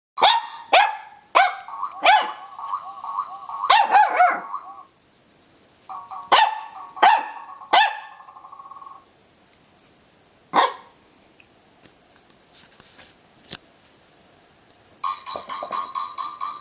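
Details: Zorro, a Corgi puppy, barks at a noisy dog toy: sharp yapping barks in quick bursts, mixed with the toy's droning, squeaky electronic tones, then a pause and a final burst of toy noise.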